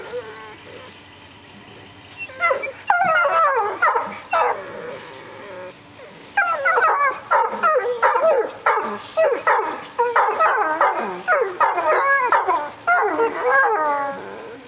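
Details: Wolfhounds Eleanor and Franklin respond to a siren in June 2009: after two seconds of near quiet, a chorus of short wavering howls and yelping barks starts, pausing briefly near six seconds before resuming in rapid repeated bursts.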